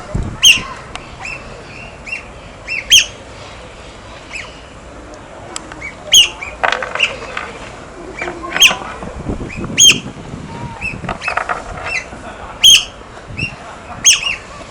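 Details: Otters at play with stones give high piercing squeaks and chirps at irregular intervals, mixed with rustling and splashing-like noise.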